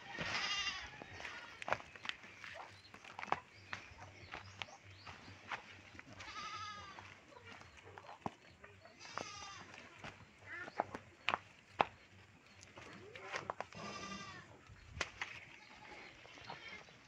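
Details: Domestic goats being brought freshly cut fodder by their keeper. Several wavering, quavering bleats are spread across the clip, with sharp clicking and knocking sounds and brief speech in between.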